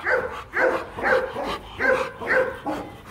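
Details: Rapid series of six sharp barks about every half second from Rottweilers Marvin Gervi, a Vietnamese champion stud, and Kacyno Gervi as the male tries to win a difficult female for mating in Hanoi, Vietnam.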